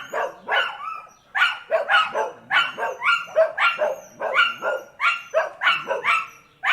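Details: Dogs barking and whining, with a steady stream of short, yelping barks carrying thin whining tones, the barks coming roughly twice a second throughout.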